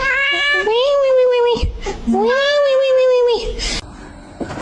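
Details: Domestic cat giving two long, drawn-out meows about a second apiece, each rising briefly then holding a steady, slightly falling pitch, separated by a short gap, with faint room noise and brief rustling after the second call.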